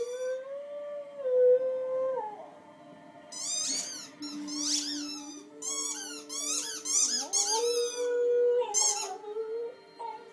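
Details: Dog howling indoors: long wavering high yowls and squeaky bursts between four and nine seconds, over sustained steady musical tones.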